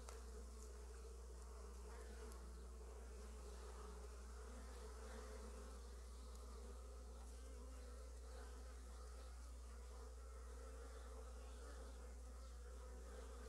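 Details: Honey bees bringing early-season pollen into their hive give a steady, low droning hum of many bees buzzing together, with no clear breaks.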